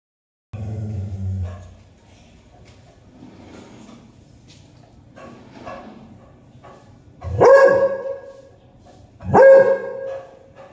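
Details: A beagle barking at a black cat gives two loud, slightly drawn-out barks about two seconds apart.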